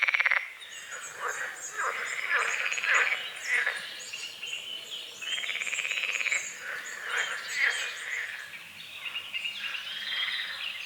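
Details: Frogs croaking at dawn over a small forest-edge lake with morning fog, water lilies and calamus; harsh, pulsed, buzzy croaks come in overlapping bursts every second or so, with high chirping birdsong above.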